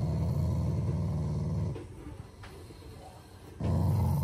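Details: Family Shiba Inu growling lovingly, not in anger: a deep rumbling growl, a quiet break of about two seconds with faint clicks, then the low growl starts again.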